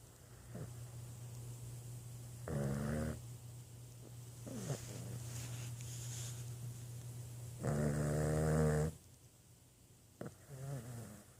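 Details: Boston Terrier snoring indoors: two long, loud, rough snores with a low droning buzz, separated by quieter breathing, plus a steady low hum in the background.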